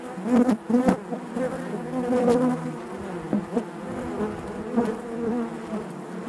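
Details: Honey bees buzzing inside their hive: a dense, steady hum with a strong low drone and overtones, swelling and fading as individual bees pass close, with occasional brief ticks and knocks.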